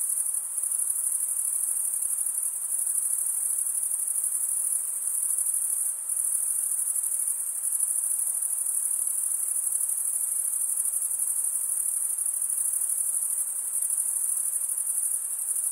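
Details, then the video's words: Male crickets stridulate, scraping a wing edge along the comb-like teeth of the opposite wing, producing a continuous high-pitched ringing trill that barely varies in loudness over the whole stretch. "Most relaxing cricket sound for 8 hours"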